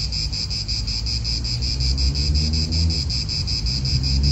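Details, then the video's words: A park in Italy rings with cicadas, a dense rhythmic shrilling that never pauses, set against low, gusty wind noise. "Cicadas wind real atmosphere in an Italian park"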